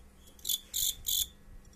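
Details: Fighting crickets produce three crisp, high-pitched chirps spaced about a third of a second apart over quiet background.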